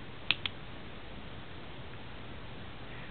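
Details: Quiet indoor hiss broken by two sharp clicks near the start, with no snoring or other animal sound heard.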